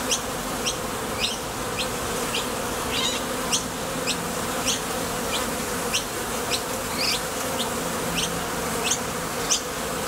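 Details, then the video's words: Foraging honey bees come and go at a Top Bar Hive entrance. Their wings make a dense, continuous low drone, and brief high ticking chirps sound about twice a second throughout. "Bees Sound Effects | WHITE NOISE | RUIDO BLANCO RELAJANTE Sonido de las Abejas."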